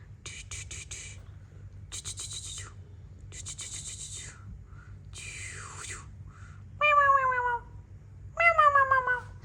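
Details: A mother cat plays with her kittens indoors; two clear, descending harmonic meows near the end follow a series of broadband clicks and rustles, with a person talking softly in Bengali.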